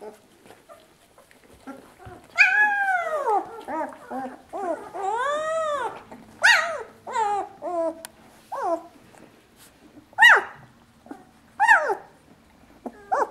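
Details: Two-week-old puppies at their mother's milk, crying loudly in a small indoor space: arching, whining squeals rising and falling, then sharp descending yelps repeated every second or two, with soft background murmuring.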